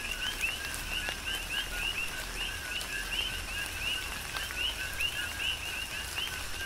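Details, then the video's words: On the Big Island of Hawaii, coqui frogs sing through a tropical downpour, their rising 'co-qui' notes stacking into a rhythmic, unbroken chorus while rain patters and occasional louder drops land nearby. "Tropical Rain & Coqui"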